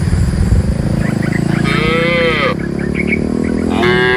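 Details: A short, curving moo comes from a herd of tame cows being led from the forest to the pen, with another call starting at the end, over heavy low rumbling noise and faint bird chirps.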